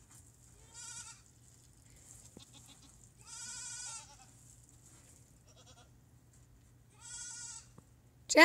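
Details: Goats in a herd, addressed as girls, bleating three times at roughly three-second intervals, each a wavering nasal cry, with quiet background hum and a sudden loud knock at the end.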